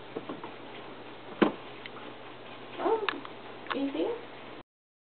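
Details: Whiskey, a pet cat indoors, watches a squirrel on the window and gives two short, wavering mid-pitched meows about a second apart, with a sharp tap earlier and a person speaking nearby.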